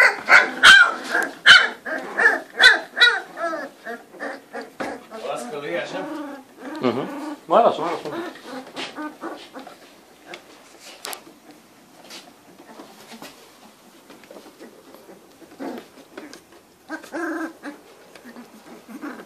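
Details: A litter of Cane Corso puppies aged three weeks, sired by Faust Di Casa Pretorian out of Geisha De Nobil Rose: loud rapid yelps and whines at first, then a low growly moan, fading to scattered soft whimpers.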